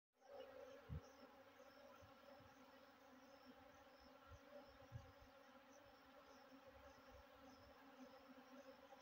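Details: Honey bees being fed give a continuous, even, low buzzy hum with rich overtones and no breaks, punctuated by a few dull knocks and bumps from close handling.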